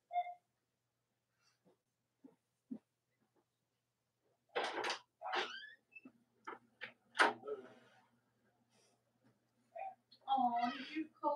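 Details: Cavalier King Charles Spaniel puppies of Robin and Myra's litters, three nursing mothers nearby, on a chilly autumn morning. Bursts of high squeaks and short yelps come in clusters, ending in a wavering, tonal squeal.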